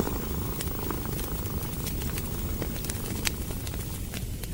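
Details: Cat lying by a fireplace in a cozy hut, steady low purring heard under dense crackling of the logs, with one louder pop near the end.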